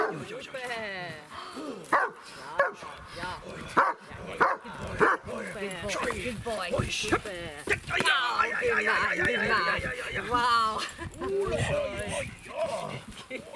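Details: German Shepherd, a two-year-old male only now showing interest in protection work: a series of sharp barks and yelps at an irregular pace, with music playing and a person talking over it.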